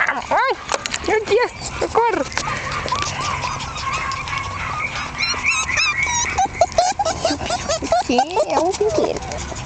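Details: One-month-old Jack Russell Terrier puppies, born 27 October 2010, from a litter of Yeti Romany Storm x Romany Rio, give high, arching whines and short yips in bursts, with people talking over them.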